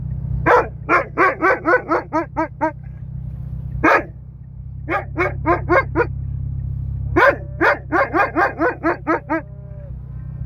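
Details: An Alaskan Malamute "talks" to a cow in bursts of short, arching woo-woo calls in quick runs, over a steady low hum.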